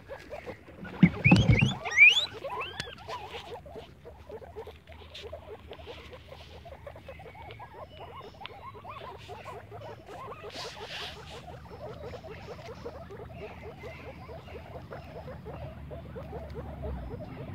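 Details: Guinea pigs playing in the grass give a steady stream of short, soft chirping notes, many per second, from several animals at once; a loud rustling thump breaks in near the start.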